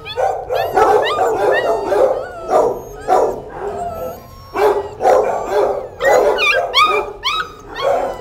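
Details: Eight puppies with their mother dog, crying in a busy chorus of high squeaky whimpers and yelps, rising and falling, some louder bursts, nearly continuous.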